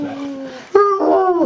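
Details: A female Bloodhound at dinner time gives drawn-out, howl-like whines that rise and bend, begging for food indoors.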